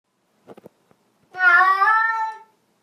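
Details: Domestic cat protesting a bath: a few faint soft clicks, then one long, drawn-out, harmonic meow that wavers slightly before fading, indoors.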